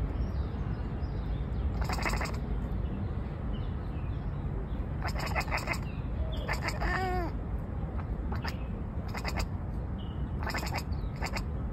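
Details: A cat chattering and chirping: short bursts of rapid, stuttering clicks recur every second or two, with one rising and falling chirp in the middle, over a steady low rumble of background noise.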